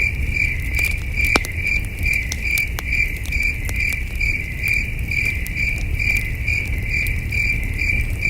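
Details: Crickets calling after dark near a glowing campfire in the wilderness, high rhythmic chirps pulsing about twice per second, with fire crackles and a low rumble of night breeze.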